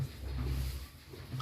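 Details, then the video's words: One-week-old calf snoring loudly in deep sleep, a low rough rumbling breath that swells and fades in about a second, indoors. "KAGET PEDET SUPER TIDUR NYA NGOROK LURR"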